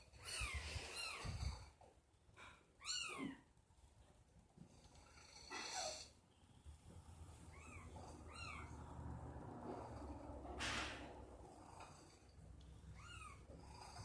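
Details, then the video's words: Pet cat making strange noises indoors: short arched chirping calls in quick bursts of two or three, separated by pauses, over a soft low rumble. "MY CAT IS MAKING WEIRD NOISES"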